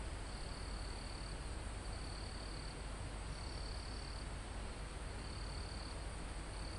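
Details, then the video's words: Crickets in a forest near the top of a mountain, recorded live outdoors: high, steady trills about a second long, returning every second or two, set against a constant broad hiss of calm wind through foliage and trees. "Calm Forest in Mountain With Crickets, Insects Sound"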